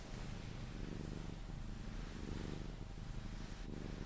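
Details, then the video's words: Sphynx cat being cuddled purrs until falling asleep; low, even rumble swelling and easing with each breath, a brief rustle near the end. "CUDDLING MY SPHYNX | 10 MIN CAT PURRING CUDDLES E KISSES SOUNDS"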